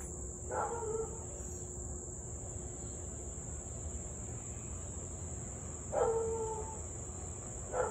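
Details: Distant Siberian Husky in Louisville on an August 2021 evening, 6:24 pm, in a nearly 30-minute run of barking and howling; two tonal barks about five seconds apart, plus a third at the end, under a continuous high insect whine.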